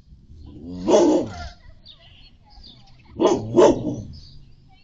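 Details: Labrador captured by a Reolink RLC-520 security camera, barking at a passing dog and trying to run after it past a fence: one loud deep bark, a pause, then two quick barks in succession, with faint chirps between.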